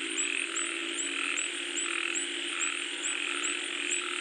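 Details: Frogs call in a dense chorus during falling rain, short high chirps repeating about every half second over a steady hum.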